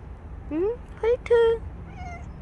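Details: Bolt, a stray cat that stayed near its carers for a year and five months, gives three short meows, the first rising and the next two level and loud, over a quiet background.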